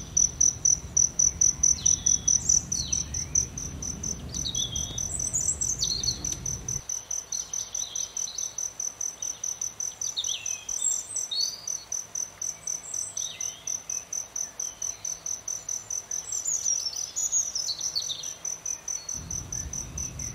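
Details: Cricket beside blooming aloe vera keeps up a long run of sharp, high pulses, several a second at first and then steady, while brief thin bird chirps flick in and out and low background rumble comes and goes.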